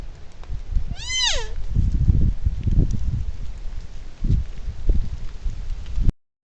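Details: Young buck deer (spiker) caught on a trail camera, giving a single short, nasal, mewing call that rises then falls, lasting under half a second near the start, followed by steady low rumbling noise and soft thumps.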